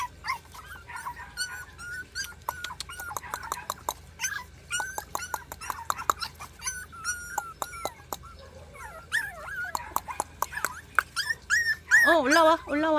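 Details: Three 40-day-old countryside mixed-breed puppies whimpering while trying to climb stairs toward a treat, in a rural home; many short high whining squeaks with wavering rising and falling notes, a louder wavering whine near the end, a person coaxing them.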